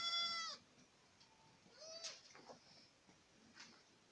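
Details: Boer goats in Acatlán de Osorio, Puebla: one sharp high bleat opens, then softer, fainter wavering bleats follow over a quiet background.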